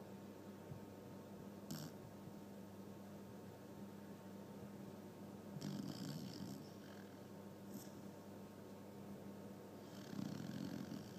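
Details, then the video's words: Pet dog asleep in its owner's bed, snoring and dreaming with rapid eye movement; soft, breathy snores swell in short bursts near two, six and ten seconds over a steady low indoor hum. "Dog snoring and dreaming"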